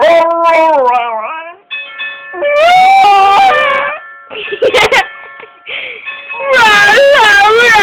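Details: Pet dog howling at the doorbell, its owner coaxing it to sound like saying "I love you": long wavering tonal howls with strong overtones, rising and falling, interrupted by a sharp clatter and a final high drawn-out howl.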